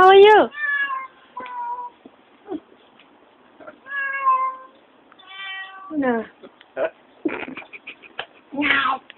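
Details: Chatty house cat meowing repeatedly in a small room, a mix of long rising-falling mews and short clipped chirps, interleaved with a person's speech.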